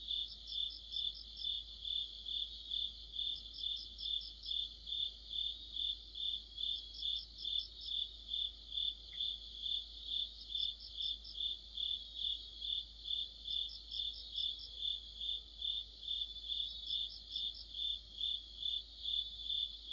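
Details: Crickets with fellow insects singing in autumn beside a streetlight: a steady, even train of shrill chirps near twice per second, punctuated every three seconds or so by a short burst of quicker, slightly higher trilling.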